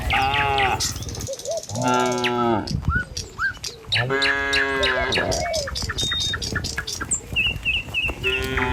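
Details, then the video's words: Herded tame cows crossing a village road at morning, heading for pasture: repeated overlapping moos from several animals, some deep and rough, some higher and wavering, with bird chirps and a quick twittering series near the end. "Suara Sapi Moou Sepanjang Jalan Desa"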